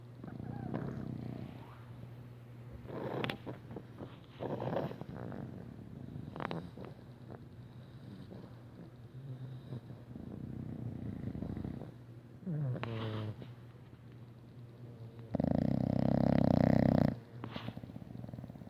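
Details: English Bulldog, female, snoring loudly while asleep, with soft irregular snuffling breaths, then one strong rumbling, vibrating snore for about two seconds, and faint household sounds.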